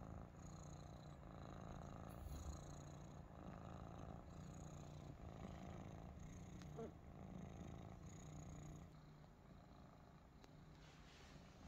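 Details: Young Maine Coon kittens resting together in a basket at home; continuous deep purring pulses rapidly and evenly for about twelve seconds, with a few soft clicks and rustles partway through.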